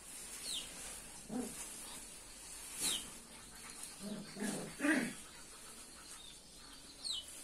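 Chow Chow puppies give short, scattered whimpers and squeaky yips against a soft background hiss.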